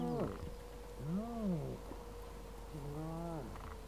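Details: Spotted hyena cubs at their clan's den near Transport Dam on the S66 in Kruger National Park, one morning; three drawn-out whines, each rising then falling in an arch, over a steady low hum.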